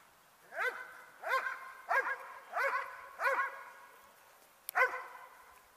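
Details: Barking from the Dobermann E-Qyoda Qumca von Bolcanstern in Ring 2 attack work: six sharp, ringing barks, evenly spaced about every two-thirds of a second, with the last one set slightly apart after a short pause.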